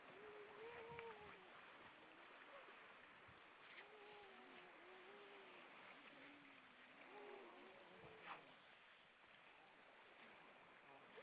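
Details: Many grey seals above the water at Vilsandi in Estonia, recorded 25 September 2012 at 19:33, give a chorus of overlapping arched, yodelling wails, some rising then dropping, repeated across the clip against rushing waves and wind.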